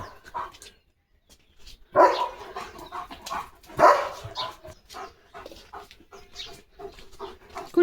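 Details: A German Shepherd fitted with new glasses gives two loud, rough barks about two seconds apart. Softer scuffles and human voices surround the barks, with people urging the dog to slow down.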